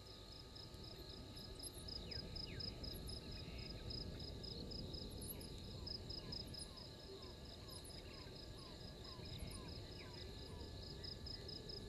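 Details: Insect chorus at Gowrie dam, Djuma Game Reserve, Sabi Sand, South Africa: a continuous high beaded trill, scattered very high chirps, and a second half of quick downward-sliding notes repeated about twice a second, all above steady low rumble.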